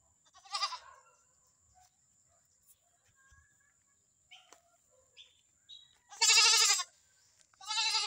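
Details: Visayan goat, a new pet, calls three times: a short bleat near the start, then after a quiet stretch with faint chirps, a long loud trembling bleat and another rising one at the end.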